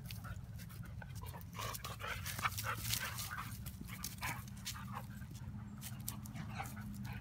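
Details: Lily and a visiting neighbourhood dog in lazy play-fighting: rapid, uneven panting and breathy grunts with rustling scuffles throughout, over a constant low background drone.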